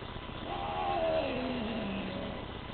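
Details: A Bengal cat named Teddy, a young male, gives a single drawn-out meow that starts high, wavers, then slides steadily downward over about two seconds, over a constant low hum of background noise.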